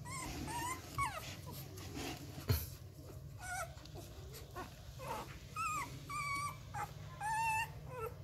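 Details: Hungry 11-day-old Rottweiler puppies at Gervi Kennel, bottle-supplemented because their mother lacks milk, licking and sucking at anything before feeding time; scattered thin, high whines that bend up and down, from several pups over a low steady hum.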